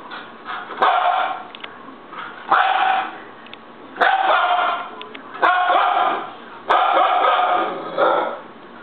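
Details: A young pet Siberian Husky throws a fit, letting out loud, harmonic, yowling barks in bursts about every second and a half, each rising sharply and then trailing off, with brief clicks between them.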